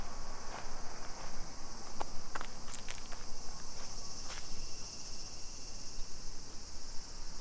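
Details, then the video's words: Summer cicadas in a suburban neighbourhood of Nisshin, near Nagoya, Aichi Prefecture, Japan, at 2 PM on 28 July 2021. A steady, shrill, high droning hiss runs unbroken beneath footsteps, sharp clicks and a low rumble from walking. "Summer Cicadas Sounds"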